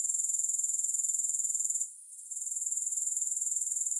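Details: Grasshoppers' shrill, rapidly pulsing high trill, cut by a short half-second gap midway before resuming; no music present.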